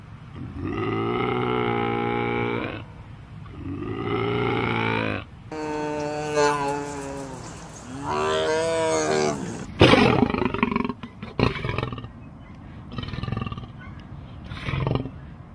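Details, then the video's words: Big cat roaring: four long, tonal, moaning roars of about two seconds each, rich in harmonics and bending slightly in pitch, then a run of shorter, rough, grunting bursts with brief gaps. "Big Cat Talk! Roar, Purr, Meow"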